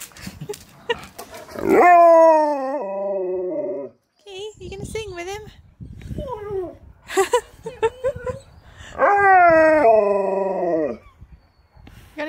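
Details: Keyush, a Siberian Husky, reunited with his best friend and hearing his favourite words, gives two long drawn-out howling calls that start high and slide downward, with human talking between them.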